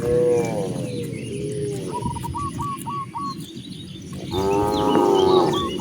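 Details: A cow roaming freely toward open grassland lets out a moo at the start and a longer, wavering one near the end. Between them a bird gives a run of five quick hooked chirps.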